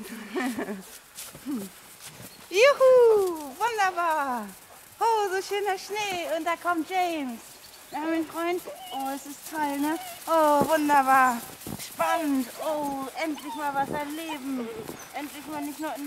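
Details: Eight-week-old puppies from a litter of seven, black, white and multicoloured, born to Luise and Ludwig, out in the snow: a rapid run of high, falling whines and yelps, several loud and drawn out, with brief human voices.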